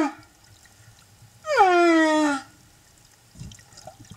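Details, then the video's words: At Silver Bank, Dominican Republic, in April 2015, a singing male humpback whale escorting a mother and calf gives a song unit: one tonal moan, rich in overtones, sliding steadily downward for about a second. "Mom, Calf & Singing Escort"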